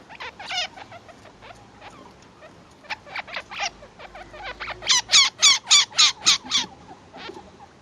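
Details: Two-week-old chinchilla kits squeaking to their mother: rapid high-pitched squeaks, softer and uneven at first, then a loud, steady run of about eight piercing squeaks, roughly four each second, near the end.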